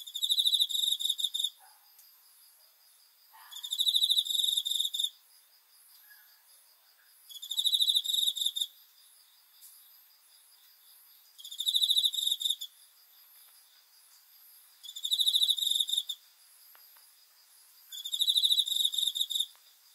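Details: A cricket at night, recorded 5 August 2020, gives high, ringing trills about a second and a half long, repeated every few seconds.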